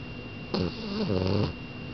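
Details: Sleeping French Bulldog snoring indoors: a single drawn-out snore lasting about one second, a buzzy, throaty rumble that starts higher and sinks to a deep low drone before stopping, set against a quiet room with a faint steady hum.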